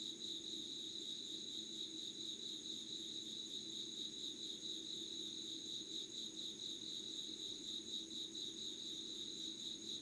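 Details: Late-August insect chorus at dawn, 5:00 on 25 August 2019, Yugawara, Kanagawa, Japan: continuous high-pitched ringing trills with a shimmering pulse, two bright tones held throughout, and a faint low drone beneath.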